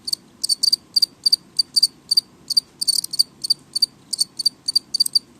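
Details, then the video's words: Steady, loud house cricket chirping: short, bright, pulsed chirps repeated rhythmically about three to four times per second, some doubled, over a low quiet hum. "イエコ #4 鳴き声がうるさい"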